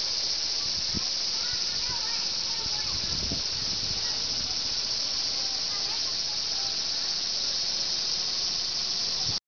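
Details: Unbroken shrill hiss of cicadas from the trees around Nokendai Community Center, an even, high buzzing wall of sound, with a few faint low knocks and a brief trace of speech beneath.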